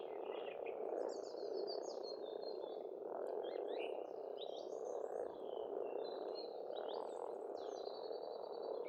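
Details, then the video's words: Estonian pond in spring with a loud frog chorus, a thick grating croak continuing for the whole stretch, and birds twittering and whistling in short bursts over the top. "Расслабляющее пение птиц и лягушек, весна, природа"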